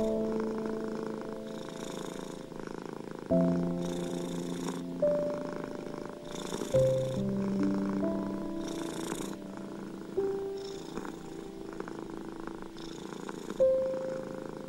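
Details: Domestic cat's low, pulsing purr carries on without a break beneath slow piano chords struck every few seconds, presented as calming music for stressed, anxious or ill cats.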